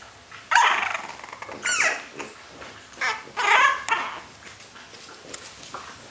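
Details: French Bulldog puppies five weeks old, born in Riga, give short, high, whining yelps and squeals in irregular bursts.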